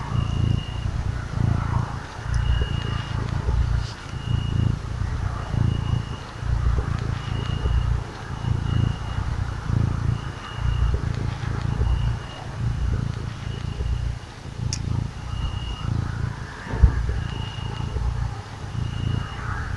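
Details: Sweet little cat enjoying being stroked, purring continuously: a deep, soft rumble rising and falling roughly once per second over twenty seconds, with a faint high whine recurring in the background.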